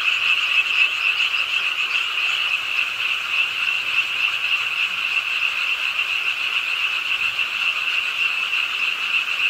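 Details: Frogs at a city park pond in Suwon, Ingye Art Park, calling during nighttime rain: many overlapping fast, rattling croaks merge into a steady, high trilling wall of sound.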